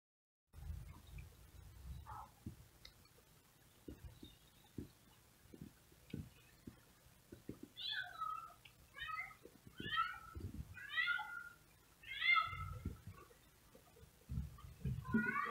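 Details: Male cat meowing outdoors while house cats watch from a window: short harmonic meows start after a quiet stretch with low thumps, then come in a quick series roughly once a second, each bending downward.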